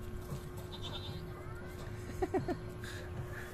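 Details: Goats kept at a workplace give a quick burst of three short, nasal bleats close together, with people talking in the background and a steady hum.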